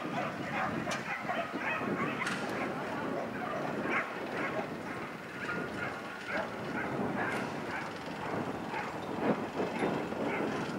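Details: Whippets at the Summer Trophy race in Kleindöttingen, Switzerland, 8 July 2012, mixed national size-class final over 280 m; sharp barks repeat in quick bursts throughout, set against a steady wash of crowd and track noise.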